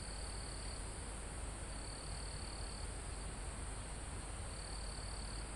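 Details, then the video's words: Mountain forest crickets near the summit, recorded live: three steady high-pitched trills, each about a second long with gaps between, set against a soft, continuous roar of wind in the trees. "Calm Forest in Mountain With Crickets, Insects Sound"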